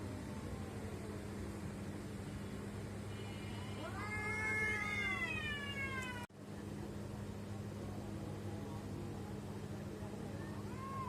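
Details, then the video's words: Domestic cat producing an odd call: a loud arched meow around the middle, preceded by faint higher tones, then a sudden cut and later a brief soft meow, over continuous low hum. "Why My Cats are making weird sound?"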